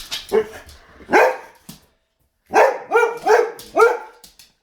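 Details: Boxer dogs barking at a vacuum cleaner: a sharp bark, a second louder bark, a silent gap, then a quick run of four loud, hoarse barks close together.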